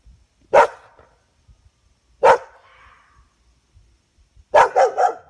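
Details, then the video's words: Dog barking at a fox at night: a single sharp bark, a second bark trailing into a faint whine, then a quick triple burst of barks near the end, with quiet pauses between. "Dog barking at fox"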